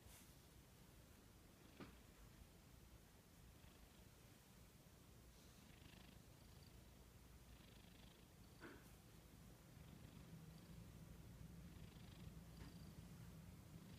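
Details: Pet cat purring or snoring, a low continuous rumbling purr throughout, growing slightly louder toward the end, with a few faint clicks and rustles.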